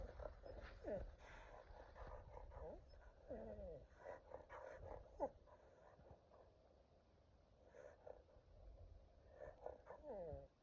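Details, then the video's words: Pet dog on watch dog duty making funny sounds: short nasal whines and squeaky yelps that bend up and down in pitch, spaced irregularly between quiet breathy snuffles in a calm indoor setting. "My Dog Makes Funny Sounds While On Watch Dog Duty!"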